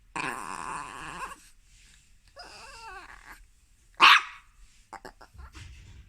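A small Chihuahua voices a drawn-out, harmonic growl-whine that wavers up and down, followed by a single sharp, loud bark. A few soft clicks and thumps trail off at the end.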